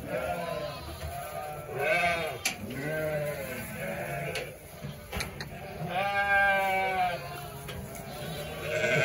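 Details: A large flock of sheep with lambs, about 900 ewes and 900 lambs, bleating. Several overlapping wavering bleats with strong harmonics at a steady pace, some higher lamb-like calls among lower ones, with a faint rustle of the flock.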